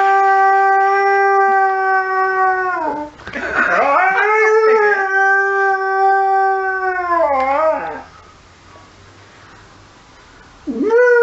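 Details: Saluki reacting to emergency services sirens with long, steady howls: one held nearly three seconds ending in a falling slur, a second wavering howl, a quiet pause, then a fresh howl starting.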